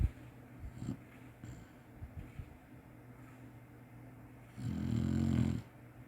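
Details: Napping Chinese Shar-Pei: faint breathing and small snorts, then one low, rasping snore of about a second near the end.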